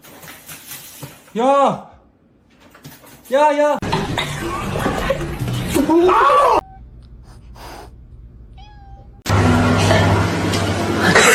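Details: Kitten meowing: two drawn-out meows about two seconds apart, each arching up then down in pitch. Loud rustling, handling noise and a short quiet stretch with a faint tone follow, then a burst of broad noise.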